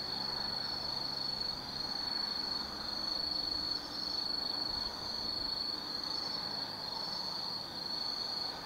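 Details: Autumn insects calling on a night in Tsukimi no Mori, Kaizu, Gifu, Japan, 180 m above the Nobi Plain; bright high-pitched pulsed trills in rippling bursts, rising and falling about once a second, over a faint wash of traffic.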